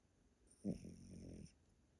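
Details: Yotaro, a grandpa Pomeranian, sleeping indoors at a relative's house in Japan; one loud snore lasting under a second, a harsh, low, vibrating rasp that starts abruptly and fades into soft breathing.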